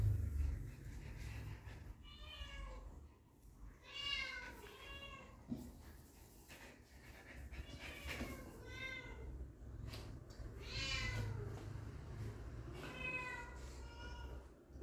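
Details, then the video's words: Dog puppies meeting their dad for the first time repeatedly squeal, with thin bending whines every two seconds or so, some rising then falling, and a low room hum beneath. "The Reaction Of Puppies Meeting Their Dad For The First Time"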